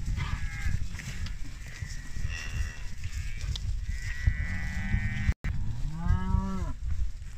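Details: British Friesian maiden heifers, 25 head; a single deep moo swells and then falls near the end, after a stretch of fainter, higher lowing and steady low rumble, with one brief dropout.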